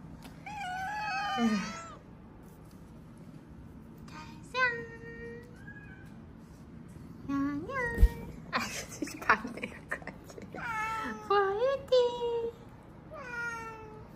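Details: Weak kittens found fading and huddled together, leaning on each other, on a road home from a family funeral; thin, high harmonic meows, some bending upward and others falling, come in scattered bursts, with rustling and handling noises midway.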